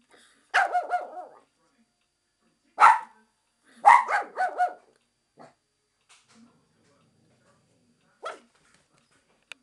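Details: Barking Japanese Chin reacting to the window cleaner: an excited run of high, ringing yaps in doubled and tripled bursts, then a lone bark after a pause. A person speaks nearby.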